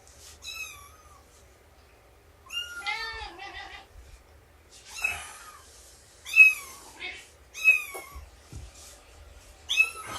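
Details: A cat of about two years, nursing her kittens indoors in the morning: high, wavering meows in harmonic-rich bursts, some rising and falling, at irregular intervals, with faint rustling between calls.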